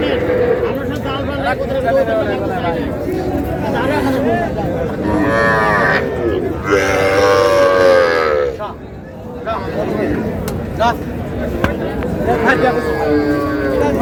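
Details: Cows with calves, Sahiwal breed, at the twice-weekly Raniganj cattle market, Dinajpur, Bangladesh, Thursday: loud, long bellowing moos in the middle, one after another, with a steady background of market crowd and voices.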